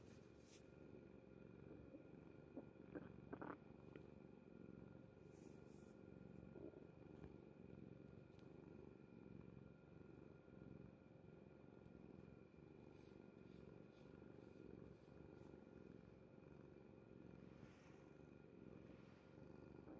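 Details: Soft, low rumbling purr from Kuri, a house cat dozing on mother's bed, continuing evenly throughout. A quiet constant mechanical hum lies behind it, broken by a few brief clicks and rustles.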